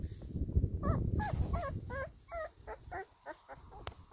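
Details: Black Labrador Retriever puppies aged four weeks, pedigree litter with their mother, feeding on a sunny day; a quick series of about ten wavering, whining whimpers over low rumbling movement noise.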